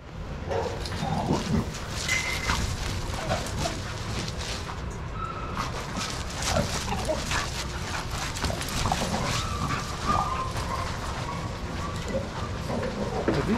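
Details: Several dogs playing together in a shelter yard at Pima Animal Care Center, Arizona, watched by handlers; scattered sharp yips and short barks rise over a steady rumble of paws, movement and yard noise.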